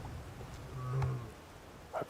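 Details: At sunset on 11 June 2016 in Sabi Sand, a lioness just over three years old gives a single low, soft moaning contact call toward the observers, calling the other lionesses of her pride.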